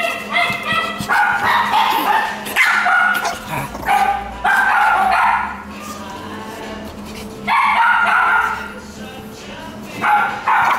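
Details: Female fawn Pekingese born December 2016, kept at a pet shop, barking in quick bursts of sharp yips and barks separated by short pauses, with faint background voices.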